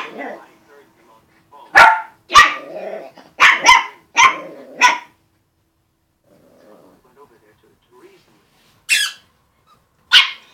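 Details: Puppies playing with a balloon and a squeak toy give sharp, short barks in a quick burst of about six within five seconds, then two more isolated yaps near the end, with faint voices in between.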